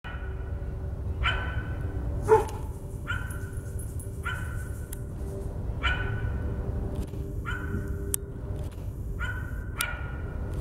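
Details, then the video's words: Dog barking, heard alongside a coyote: about eight short, sharp, harmonic barks spaced roughly a second apart over a steady low rumble of background noise, with a few faint clicks. "coyote and dog bark"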